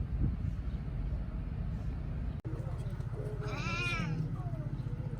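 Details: Sick stray kitten with sore eyes, hungry but refusing food, met near Geoje-ri market; after a person calls it, one drawn-out arching meow rises and falls over a low steady hum.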